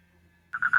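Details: A male crab-eating frog (Fejervarya cancrivora) in Tajur Halang, Bogor, West Java, gives a quick run of three nasal, pulsed croaks in its mating call to attract females, recorded on a phone.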